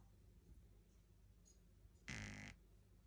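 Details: Ten-week-old Shih Tzu puppy snoring indoors: a low steady rumble, then one loud, harsh, raspy snort lasting about half a second.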